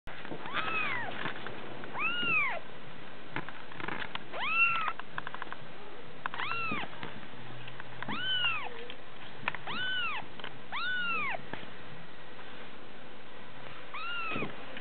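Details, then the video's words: Kitten meowing repeatedly, about seven clear arched meows rising then falling in pitch, spaced roughly one to two seconds apart over a quiet background. "cute kitten"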